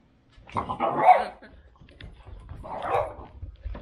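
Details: French Bulldog turning suddenly furious when someone tries to take away its deer bone: two harsh, rasping snarl-barks about two seconds apart, each a noisy burst with low grumbling between them.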